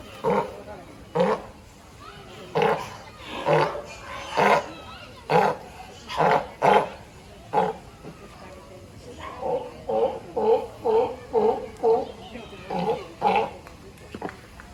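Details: California sea lion calling in a long run of rough, honking barks, loud and irregular at first, then a quicker series of softer, evenly spaced barks near the end.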